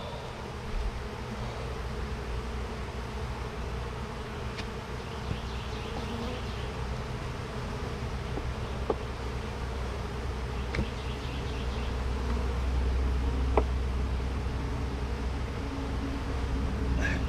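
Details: Opened bee hive under inspection, where some bees had died: a continuous low buzzing hum that swells slightly toward the end, with sharp clicks and knocks from frame handling scattered throughout.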